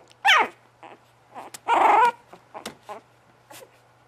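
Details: Bugg puppies letting out a sharp, high yip followed by a longer, strained whine, then several softer, short whimpers trailing off.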